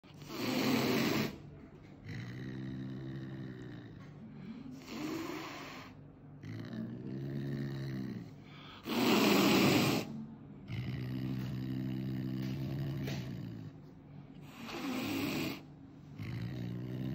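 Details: Angry caracal at a veterinary clinic, intimidating the vet and staff: loud breathy hisses burst out about every four to five seconds, with deep rumbling growls between them.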